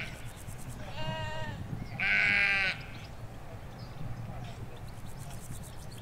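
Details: Ewes and lambs in a sheep field in the Hampshire countryside, recorded in stereo from beside a hedge: two harmonic, wavering bleats about a second apart, the second louder and higher, over faint birdsong and low rural rumble.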